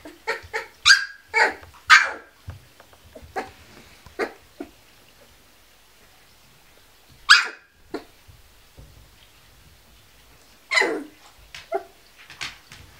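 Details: Sixteen-day-old Kuvasz puppies giving a quick cluster of shrill yelps in the first two seconds, then isolated squeals at about four, seven and eleven seconds between quieter stretches.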